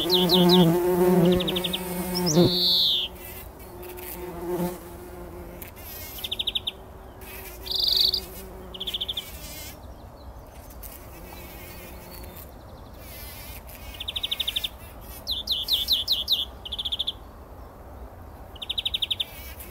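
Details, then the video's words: Several bumblebees wallowing in poppy flowers at dawn before sunrise, 2019, in a pollen bath; strong deep humming buzz in the first five seconds, fading, with frequent short high bird trills and chirps across the recording. "Hummeln wälzen sich in der Mohnblüte – summend wird das Pollenbad angenommen"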